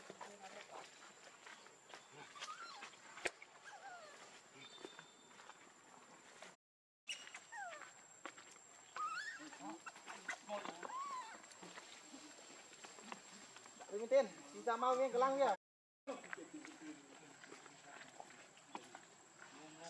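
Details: Baby monkey named Lucie, very hungry for milk, crying: thin tonal cries that rise and fall, spaced irregularly with brief silent gaps, then a burst of rapid stacked wails near the end over a steady high hiss.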